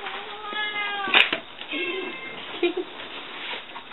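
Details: Rescued cats and kittens from Fukushima, Japan, just arrived at a shelter; a couple of brief, slightly falling meows early on, with a sharp knock and people chatting over them.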